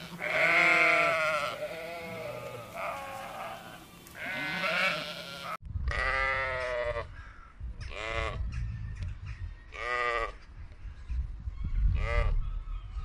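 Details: Domestic sheep on a farm bleating, wavering nasal calls repeated every second or two, several animals overlapping, with low background rumble.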